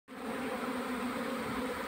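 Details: Honey bees at a hive during a February honey harvest, a steady dense humming buzz of many bees, even and unbroken throughout.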